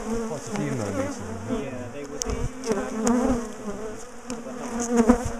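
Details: Bees from a large, defensive colony in a top bar hive, buzzing as the hive is dismantled and the colony split and moved; a steady low hum with wavering overtones, broken by sharp knocks and handling clicks.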